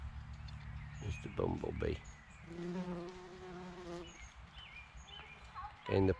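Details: A bumblebee on bluebells during a spring woodland walk gives a low, droning buzz that holds steady for a couple of seconds; a man's voice comes before and after, with faint bird chirps behind.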